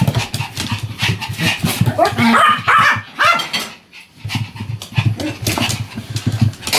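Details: A Pomeranian begs to be given some food too, with high, rising whines and short yips in quick bursts; recorded 16 December 2015.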